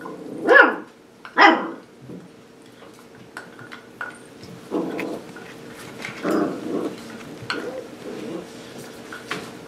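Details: Sparkle's seven-week-old pups at play: two shrill, quick yaps open, followed by softer, lower muffled woofs and scattered clicks and bumps of toys against a faint indoor hum.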